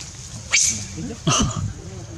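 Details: Young monkey named Janet cries loudly after her mother bites her: two short, harsh, harmonic screams about three-quarters of a second apart, each breaking sharply and fading into low murmuring.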